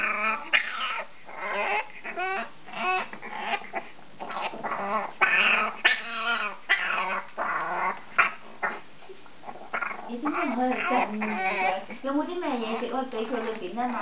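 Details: Donut, a female French Bulldog puppy, barking in a way that sounds like a human baby: a busy run of high, wavering, cry-like yelps and whines with growly edges, bursting out in uneven clusters indoors.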